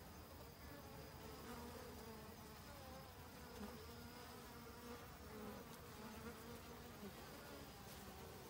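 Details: Autumn honey bees searching restlessly for winter food stores, giving a continuous humming drone with low harmonic tones that swell and fade slightly as insects move around.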